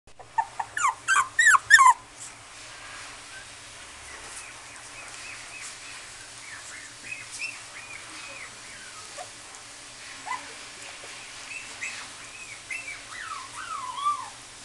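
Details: Female Chihuahua–Maltese mix puppy at a pet shop, a quick burst of sharp high yips at first, then a series of thin, whining whimpers rising and falling in pitch.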